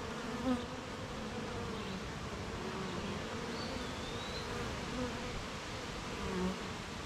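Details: Beehive of honey bees humming on a rainy morning amid gardens, farms and fields; continuous low droning buzz with brief louder passes of single bees, and a faint sliding whistle behind.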